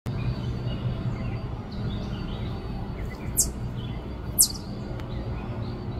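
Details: An Eastern chipmunk in North Carolina gives two brief, sharp, high chirps about a second apart over a steady low rumble, then scuttles down its tunnel.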